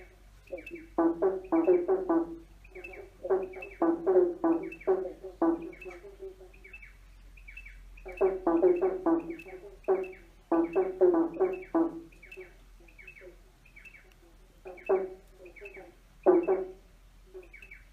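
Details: Frog chorus under a bridge: long runs of fast, pulsed croaks from overlapping frogs, coming in dense bouts separated by quieter stretches of scattered single croaks, with echo.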